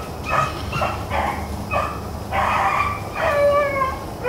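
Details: Hounds, Black-and-tan and Bluetick, running rabbits on April 4, 2013; several dogs bay in drawn-out, howling calls spaced roughly half a second to a second apart, some notes sliding downward, over a low rumble of background noise.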